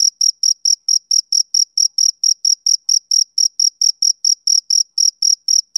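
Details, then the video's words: Male cricket chirping on a summer evening: a steady run of short, high, shrill pulses, about four each second, evenly spaced against complete quiet with no other sounds. "Cricket Chirping Sound Effect"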